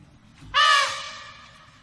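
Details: African elephant letting out a single sudden, brassy trumpet blast that starts loud and fades over about a second, over a low background rumble.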